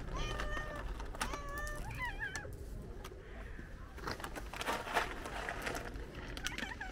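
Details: Several hungry cats gathered at lunchtime give short, wavering mews in quick succession during the first two seconds, then clattering and shuffling noises take over with faint background voices.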